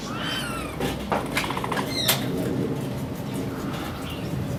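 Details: Capybara met at the Torias mobile zoo, giving a bird-like warbling call: one harmonic, slightly wavering squeak at the start, then a patter of clicks and handling noise against a low outdoor hum.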